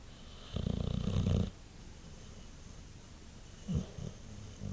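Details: Champ the white boxer asleep after a long day: a loud, vibrating snore lasting about a second, then soft breathing and a brief snort.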